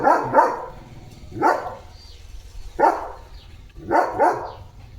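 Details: Leo, a German Shepherd, plays holding a water mug in his mouth. He gives four muffled, throaty barks, roughly one every second or so, some of them doubled, in an indoor setting.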